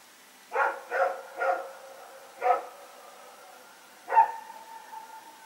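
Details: Rex and another dog bark while running around at night, recorded at Pyrga on September 21, 2018. Three quick barks in a row, a fourth after a short pause, then one final bark with a trailing tonal tail.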